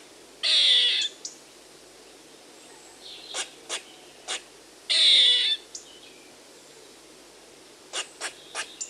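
A squirrel gives two harsh, hissing screeches, with sharp clicking chips in between.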